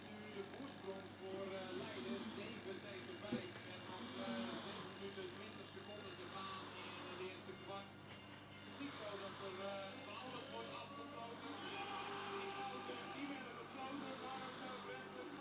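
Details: Minoes, a 14-year-old female pet cat, snoring in REM-phase sleep while dreaming, first heard snoring a year earlier; soft hissing breaths come roughly every two and a half seconds over steady Dutch football commentary from a television.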